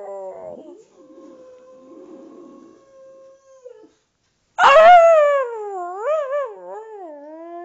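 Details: Boxer dog howling indoors together with her owner: a long steady held tone, a brief silence, then a loud, rich harmonic howl that wavers up and down before sliding lower.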